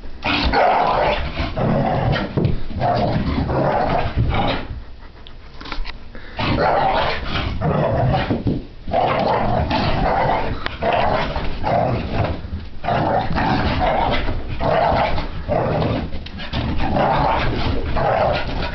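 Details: Frapping in the living room, a French Brittany Spaniel puppy called Sophie growls almost nonstop, with rasping snarly bursts repeating every second or so, broken by brief lulls and the thud of paws.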